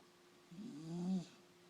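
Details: Sleeping puppy giving a single low, droning snore of about three quarters of a second that swells and then cuts off, in an otherwise quiet room.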